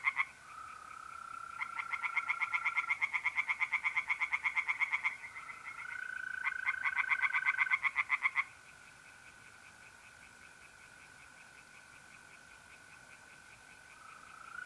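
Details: Night pond in mid-April, north-east Italy, where tree frogs call in two bursts of fast, regular croaking, then fall silent, leaving the continuous, even trilling of mole crickets in the background.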